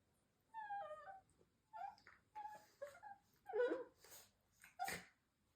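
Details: Shiba Inu dogs, including the firstborn older female who likes talking with her mother, give a series of wavering, whining vocal sounds, rising and falling like talking.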